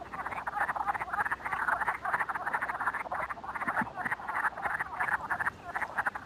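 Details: A spring chorus of wood frogs gives dense, duck-like quacking calls that overlap into a steady chatter, like a busy restaurant.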